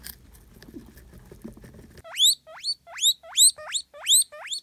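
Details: Little Marigold, one of the newest pet guinea pigs in a household group, gives about six loud whistled wheeks that sweep sharply upward, about two per second, after two seconds of soft rustling and patter.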